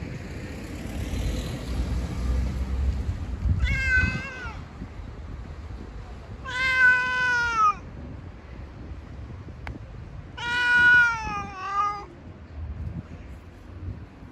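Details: Street cat giving three long, harmonically rich meows, each about a second long and gently falling in pitch, spaced roughly three to four seconds apart over a steady low rumble of urban traffic.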